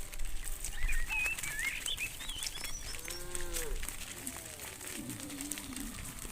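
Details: Evening return of hundreds of tame cows to the farm pen: two arching moos midway, preceded by high chirping bird calls, over constant outdoor noise.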